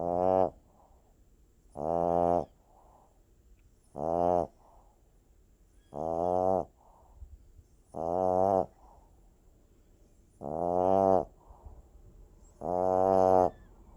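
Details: Puppy snoring in its sleep, seven evenly spaced buzzy, rattling snores, each under a second long and about two seconds apart, with near silence between breaths.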